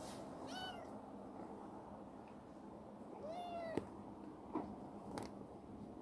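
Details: Chibikuro, a rescued black female former stray grown affectionate and lively in a warehouse, gives two short meows about three seconds apart, the second flatter and ending in a click, with a few knocks and a constant low hum.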